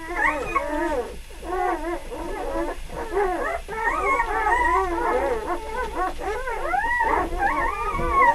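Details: Several newborn puppies, three days old, whimpering at the same time; quavering, looping high cries overlap without pause, growing slightly louder toward the end.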